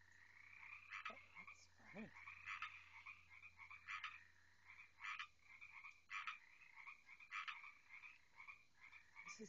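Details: Loud frogs calling at night near a house, a dense chorus of bright trilling notes around the mid-high range with louder broadband croaks bursting out roughly every second; a brief low voice-like sound near the start.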